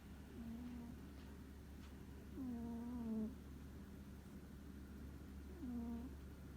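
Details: Domestic cat snoring in deep sleep indoors: whiny, tonal snore notes that dip then level off, recurring about every three seconds over a steady low hum.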